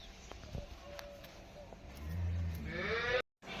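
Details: Holstein Friesian cow at a dairy farm gives a short, deep moo lasting about a second, followed by a rougher, louder sound before a sudden cutoff; faint rustling and distant bird chirps in the background.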